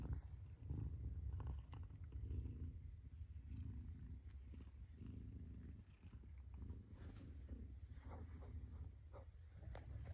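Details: A mother cat's continuous low purr, pulsing in breath-timed swells roughly every second and a half, deep and rumbling throughout, with light scratching and rustling noises over it.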